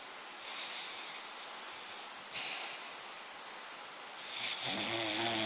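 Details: A dog called Papa Bear, asleep and snoring loudly: a steady breathy, hissing rasp that swells slightly near two and four and a half seconds, then turns into a brighter, wheezy tone at the very end.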